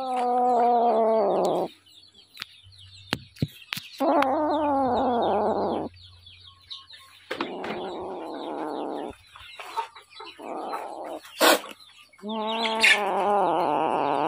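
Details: Hungry little kitten giving repeated drawn-out meows every two to three seconds, each falling slightly in pitch, over a steady background of high chirping birds.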